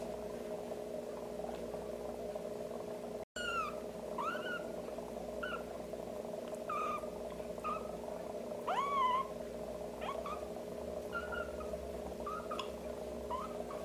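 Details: Kitten being helped to defecate, its rear gently patted with a warmed wet tissue, gives a run of thin, high, arching mews, several short and a few longer wavering ones, over a steady low electrical hum after a brief dropout near the start.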